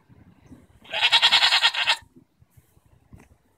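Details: One loud, quavering goat bleat from a June 24, 2014 squabble between goats, about a second long and broken into rapid, even pulses, with soft shuffling and thuds before and after.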